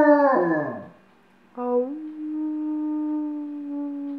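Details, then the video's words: Pet dog howling on command on a couch: a short falling yelp-like howl, a pause, then a long steady low howl held for over two seconds. "Howling on the couch"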